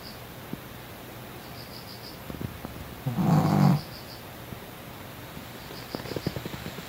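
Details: ['A sleeping pet dog, said to snore louder than a person, gives one long, low, rasping snore lasting under a second, midway through an otherwise quiet stretch with faint ticks and a soft high beeping indoors.']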